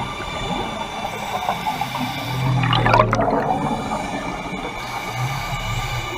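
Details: Underwater near the Carthaginian Shipwreck in Maui, Hawaii, a humpback whale on a drive-by gives low sustained moans, with a burst of diver's bubbles in between and a second moan after, beneath constant mechanical-sounding hum.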